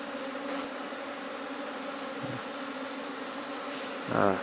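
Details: Swarm of honey bees smoked while honey is harvested, giving a continuous low buzzing drone with steady layered tones; a brief thump midway and a short louder burst of handling noise near the end.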